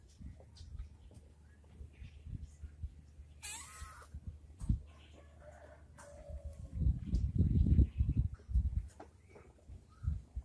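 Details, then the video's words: A cat asking for help gives a few faint, wavering meows that are largely buried under heavy low rumbling and thumping handling noise, with a brief burst of hiss midway. "Cat asking for Help"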